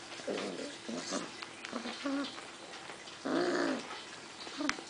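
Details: Six-week-old puppies from a rescue litter, filmed January 6, 2011, growling softly in low, rough bursts, with a louder, drawn-out growl after three seconds over a noisy background.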